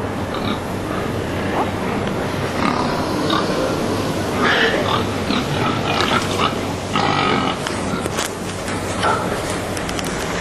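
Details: Stressed pigs waiting overnight in tight pens at a slaughterhouse in Sweden; brief higher squeals and grunts rise from a loud, continuous broadband hall noise, strongest around the middle and near the end.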